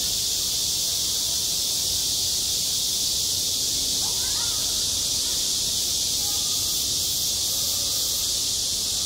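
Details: Summer cicadas droning at a school playground: an even, piercing electric buzz filling the whole time, with a few faint brief tonal sounds and soft rumble far below.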